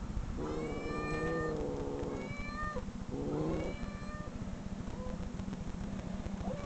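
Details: Played-back cat meowing: long, drawn-out, wavering mews overlapping one another, several in a few seconds, then quieter short mews over a constant low hum.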